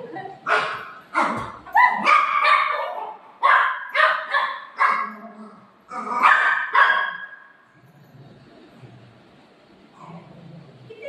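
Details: Golden Retriever playing with its owner barks loudly and harshly in a rapid series of about eight barks over seven seconds, then goes quiet while a woman's voice speaks softly.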